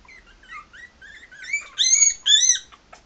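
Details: Maltese puppies, three and a half weeks old, walking around, give thin, squeaky whines that slide up and down, rising into louder, longer piercing cries near the end.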